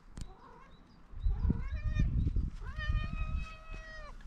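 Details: Fluffy orange female cat hurrying over to greet a person she knows, showing happiness: short soft mews, then a long, clear, steady meow near the end, over rustling and handling noise, with a person talking just before.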